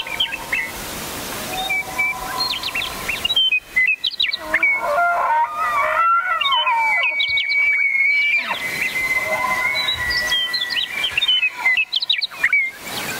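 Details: A bugling elk gives a long whistled call that climbs, then holds a high, steady tone for several seconds before fading, while small birds chirp and twitter throughout.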